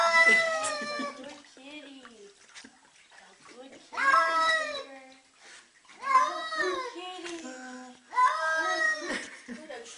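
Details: Domestic cat protesting while being given a bath indoors: drawn-out, wavering harmonic yowls that rise and bend down, some sounding almost like a spoken no, mixed with human voices and laughter in a small room.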